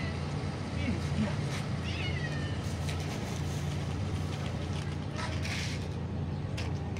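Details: Bold young kitten on a neighborhood street, playing and teasing bigger male cats, gives short rising meows early on. A steady low hum and Persian speech from people calling to it run through the whole recording.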